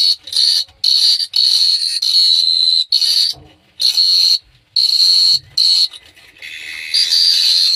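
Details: Night crickets at Phteah Prey trill in a shrill, pulsing stream, sounding in bursts of one to two seconds separated by brief pauses.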